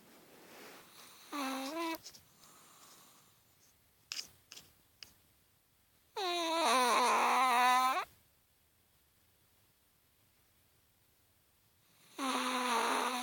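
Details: Chihuahua snoring in its sleep, giving nasal, whine-like tonal bursts roughly every five seconds, one wavering in pitch, with a few soft clicks and rustles in a quiet room.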